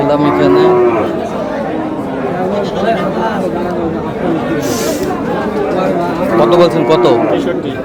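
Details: At Aftabganj haat, where meat cows are traded on 22 April, a short low moo opens the scene and another wavering moo comes near the end, with busy crowd talk throughout and a brief hiss midway.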